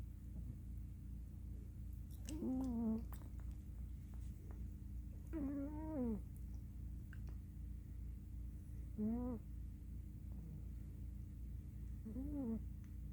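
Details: A black female cat in deep sleep, curled up on a pillow after play, snores softly: four squeaky, nasal, slightly wavering tones about three seconds apart over a low, steady indoor hum.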